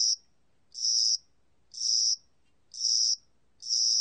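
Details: High, sizzling cricket chirps from a spring-and-summer cricket, about half a second each, spaced roughly a second apart, five bursts in a clean recording with nothing else audible.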